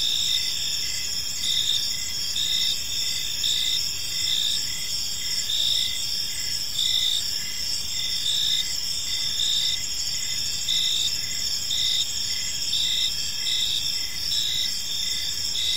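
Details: Gentle chirping of crickets in a park as evening falls, many insects trilling at once, high-pitched pulses beating steadily about once per second against a constant ringing background.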